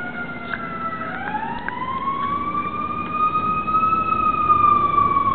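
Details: Sassy, a pet Cairn Terrier, howling indoors: one long, smooth, tonal wail that rises slowly and holds steady for over five seconds, growing louder toward the end, with faint short sounds from the other dog, Bandit, in the background.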